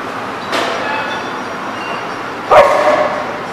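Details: A dog gives two short barks, the second louder and more tonal, about two seconds apart, over a steady background hiss.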